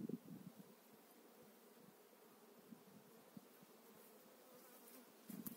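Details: Honey bees on a frame holding brood and fresh eggs, during a spring 2018 hive transfer: low, steady buzzing hum with soft rumbling thumps at the start and end.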